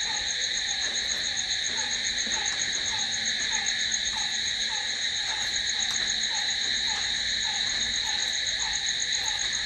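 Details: Crickets after dark produce a constant, piercing trill in stacked high tones, while a lower short call pulses about every half second throughout.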